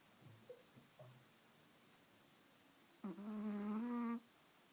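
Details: Chihuahua napping while held in someone's arms, snoring indoors: a few soft, faint breathy sounds, then one drawn-out, nasal, tonal snore lasting about a second with a slight upward drift.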